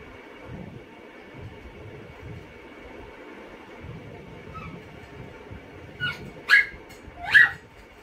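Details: Tia, a Chihuahua, trying to snatch a potato finger from another dog, Tomy: after several seconds of steady low hum, three sharp, high yapping barks come in quick succession near the end.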